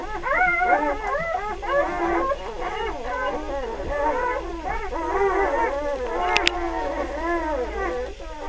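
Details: Litter of three-day-old puppies, several newborns crying together in overlapping wavering whines and squeals that rise and fall continuously, forming a howl-like chorus, with a brief sharp click near the end.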